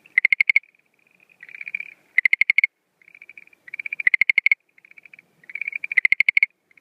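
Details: Schlegel's green tree frog at night in breeding season, 17 April 2013, mixing call types: short soft trills, lower buzzy phrases and loud rapid pulse bursts alternating irregularly.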